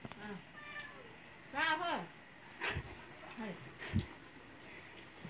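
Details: Domestic cat letting out one loud, arched meow, rising then dropping, surrounded by human voices and scattered background knocks.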